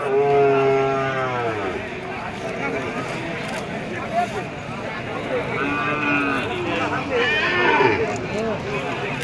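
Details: Cattle at a busy cattle market where small bulls are sold: a low, drawn-out harmonic moo opens the recording and fades after about a second and a half. Constant crowd chatter and bargaining voices fill the background.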